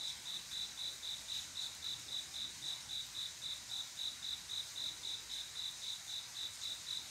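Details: On a still summer night a male cricket sings to summon a mate, repeating bright, shrill chirps almost four times each second in a regular, unbroken rhythm against a low wash of distant insect noise.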